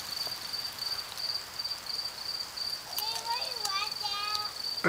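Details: 17-year periodical cicadas in southwest Ohio, with many insects emerging from the ground and climbing trees. A steady thin high-pitched hum runs unbroken throughout. A person speaks over the second half.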